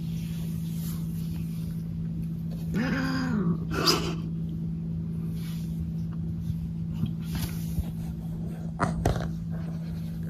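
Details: A pet cat named Maple indoors after its owner went to the rest room without it; one drawn-out, arching meow, then a shorter rough cry and a few faint sounds, over a steady low electrical hum.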